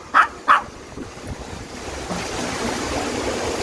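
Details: Two clipped barks open the recording from Dubu, a ten-year-old Maltese taken to Buryeong Valley in Uljin, South Korea, after recent operations. Steady stream and wind noise follow, with no further calls.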